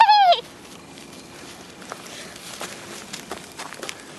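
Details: Thirty-day-old Vizsla (Bracco Ungherese) puppies, a litter of Kalì and Fiuto at Fatalbecco: one brief, loud whine at the start that slides slightly downward with rich harmonics, followed by quiet rustling and shuffling movement noises.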